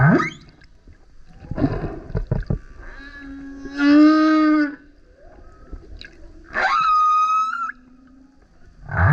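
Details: A male humpback whale sings very loudly near a kayak, producing clicky gurgling pulses, a buzzy harmonic howl, and a rising sweep that settles into a sustained high tone, with low grunts at the edges.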